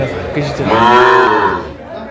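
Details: One short, rising and falling moo from a small Sahiwal calf among bull and heifer calves sold in Faridpur, Bangladesh, 17 March 2025. Faint voices sit underneath.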